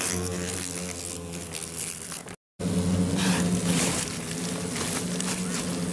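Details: Japanese giant hornets pouring out of a nest in stacked, abandoned tyres disturbed during grass mowing in Motomiya, Fukushima, Japan, 28 September 2017; steady low droning buzz with layered harmonic tones, a brief break, then continued humming over rustling outdoor noise.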